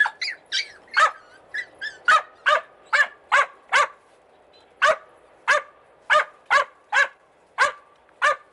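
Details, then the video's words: Australian Cattle Dog puppies in Slovakia barking in a sharp, steady series of about twenty short yaps, one roughly every half second, with brief pauses between bursts. "Australian Cattle Dog PUPPIES"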